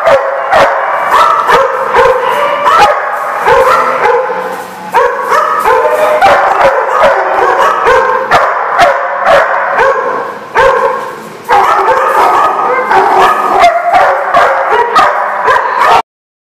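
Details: Group of dogs in Rhode Island, recorded March 3, 2014, barking almost nonstop: dense, loud, overlapping barks and yelps with brief dips around five and eleven seconds, cutting off to silence at the end.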